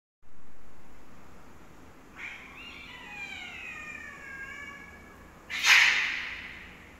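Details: Cats fighting: a drawn-out, wavering yowl rich in overtones slides slowly downward over about three seconds, then a sudden harsh, noisy burst like a hiss or spit closes the sequence.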